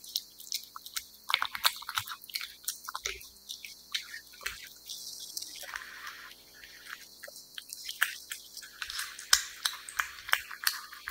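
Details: Cat eating wet food: a busy, continuous run of squelching chews and crisp tongue clicks, about three a second, rising and falling in intensity over a quiet indoor hush.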